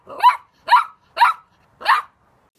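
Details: Puppy letting out four sharp, bright barks, each short and clipped, evenly spaced about half a second apart with clean silence between them.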